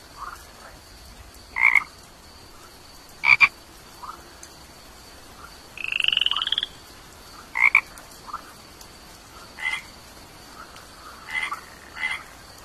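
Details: Brief sharp chirps from a tiny toad recur every second or two, with one short, high pulsed trill midway and a faint click nearby.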